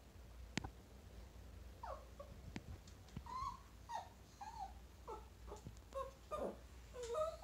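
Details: A Chihuahua meeting a chinchilla gives short, high whimpering whines. Each one bends downward or upward and comes in scattered bursts every half second to a second, with soft rustling and a low background hum.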